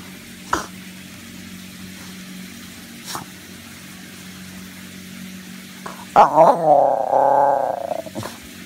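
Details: Kyan, a pet Basenji playing from his hiding spot under a bed, stays quiet through a low steady indoor hum and a few faint taps, then lets out a sudden rising yelp that flows into a wavering, harmonic moan lasting nearly two seconds.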